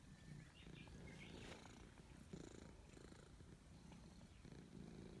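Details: Purring from a cat stroked in the forest: a deep, vibrating hum that rises and falls with each breath in roughly one-second waves, with occasional soft rustling and a faint high chirp early on.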